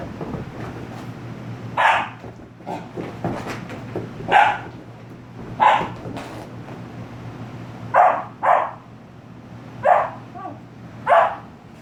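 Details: An 18-week-old German Shepherd-Husky mix puppy throwing a temper tantrum after his bath, letting out about eight short, sharp barks spaced one to two seconds apart over low room noise.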